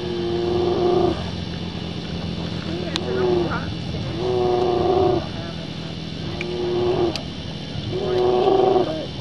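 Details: Brown bear fight in Katmai National Park, Alaska, as a mother with an older cub confronts a young female: four evenly spaced, level-pitched bawls, each about a second, separated by pauses, with a low background hum.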